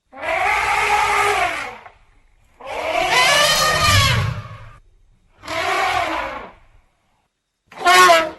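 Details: Elephant calling in four separate roaring trumpet bursts, each one to two seconds long with gaps between. The calls are harsh and rasping, and the tones waver up and down.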